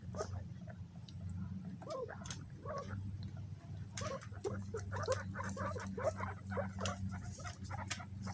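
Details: Several pet guinea pigs scrambling and fighting over bananas: a busy run of short, squeaky chirps and scuffling bursts, some quick and clustered, over a steady low hum throughout.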